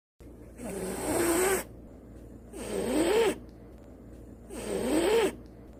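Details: A domestic cat hisses three times, each harsh, airy blast lasting about a second. The hiss is a defensive warning telling the other party not to come closer, often heard from cats at the vet clinic.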